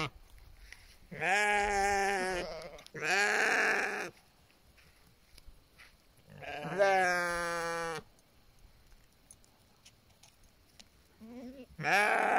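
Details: Sheep guarded by livestock guardian dogs in the mountains of British Columbia, Canada: several loud, drawn-out quavering bleats, some overlapping, each one to two seconds long, with quiet gaps and a final bleat starting.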